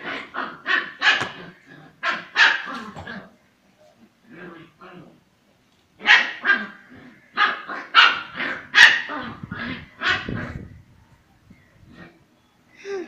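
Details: Female Kombai puppy Kanmani in fierce play with other puppies: rapid clusters of sharp barks and growly yaps, a quiet gap in the middle, while a person calls the puppy's name.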